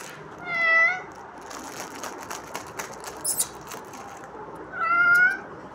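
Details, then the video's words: Kitten meowing twice, each call a short, high, tonal mew about four seconds apart, with faint rustling and clicks between them. "The Kitten Father 😍 Saying Meow 😂 Cat Meowing"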